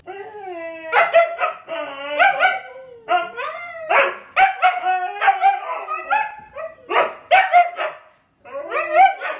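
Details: Pet dog vocalising in a string of short, wavering, tonal yowls and yips, each rising and falling in pitch, coming in quick bursts with brief gaps between them.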